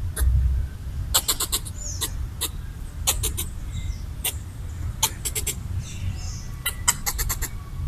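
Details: Red squirrel, territorial while eating coconut bits, chatters at a person to chase it off; sharp rattling click runs repeat every second or two, with faint bird whistles and a low rumble.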